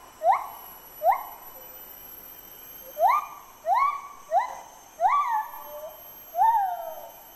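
A male lar gibbon sings clear hooting notes that swoop upward and level off, repeated in quick bursts.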